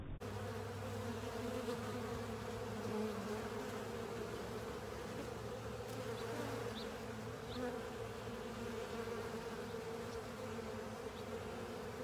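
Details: Many honey bees, joined by other insects, working over a honey filter to clean it: an even, layered buzzing drone with faint flickers of individual wingbeats passing close.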